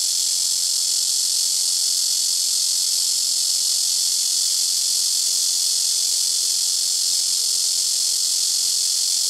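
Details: Continuous loud buzzing of a blackish cicada (말매미) in trees by a house rooftop, with cicadas alternating between nearby trees; a flat, shrill, high-pitched sizzle without pauses, a faint steady low tone appearing midway.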